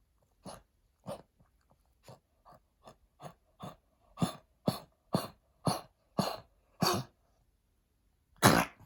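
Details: A senior Pekingese with lung damage from heartworm disease and its treatment coughs in a run of short, harsh, dry hacks that grow louder and closer together.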